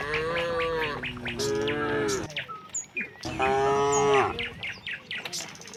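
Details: Tame cattle heading out of the barn in a line to open grassland, lowing in turn: two sustained, slightly falling moos of about two seconds each, separated by a short pause, with light bird chirps around them.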